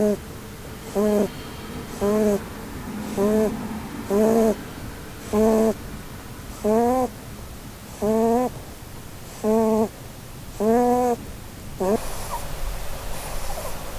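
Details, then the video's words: Blueberry, a female Holland Lop rabbit, sleeps and snores under a Christmas tree while dreaming; about eleven squeaky, harmonic snore bursts come roughly once a second in a steady rhythm, then soft rustling follows. "Snoring Bunny"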